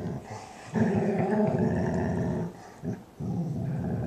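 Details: While her Weimaraner sister Roxie cleans her ear, Sadie, a German Shorthaired Pointer, voices her happiness in a rough, rumbling moan-growl. It holds for about two seconds, then a short break is followed by another grumble.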